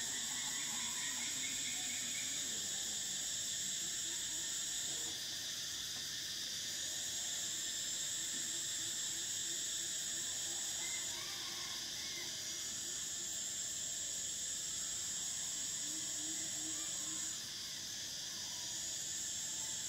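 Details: Summer cicada chorus, an unbroken shrill drone with layered high bands. The topmost whine rises and fades in long swells roughly every six seconds, with scattered faint chirping notes beneath.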